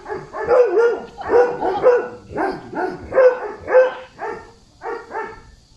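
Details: Excited pet Golden Retriever named Zhuangzhuang greeting a grandmother after days apart, nuzzling and circling her. A steady run of about a dozen short, pitched whining yelps in paired bursts, roughly two per second, with no other clear sounds.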